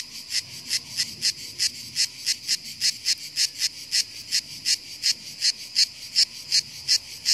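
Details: Cicada, perfectly camouflaged on a hillside, singing steadily in response to encouragement: a regular train of loud, high, hissing-buzzy pulses, nearly three per second, over a soft low background murmur.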